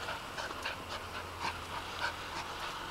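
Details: Playing in a home garden, Arden the female dog breathes in rapid, soft, hissing pants, a steady run of puffs over a faint low hum.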